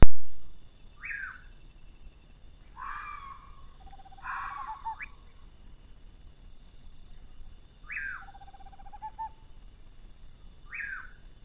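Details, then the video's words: Fox call recorded along an animal trail in Brazil, described as frightening: descending strained cries with lower sustained tones, several close together then spaced out, over a faint constant high-pitched hum. "o chamado da raposa assustador"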